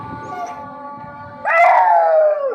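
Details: A Kanni dog breaks into a long, mournful howl that slowly falls in pitch, answering the evening prayer call from a nearby mosque; he has howled like this only to it since three months old.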